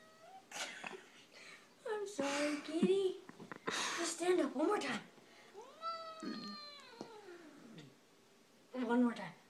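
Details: Domestic cat dressed in a chihuahua sweater gives several drawn-out meows, some sliding down in pitch. The calls are interleaved with people talking and laughing close by.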